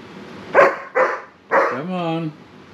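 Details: Seven-month-old German Shepherd pup Sarge protests being brushed with three quick barks followed by a drawn-out whine-like howl, the person's coaxing voice nearby.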